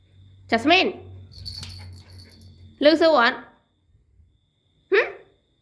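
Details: Pet Pomeranian indoors, scolded in Khmer by its owner over torn-up toys, gives three short arched whining yelps about two seconds apart, with a low hum and a woman's voice between them.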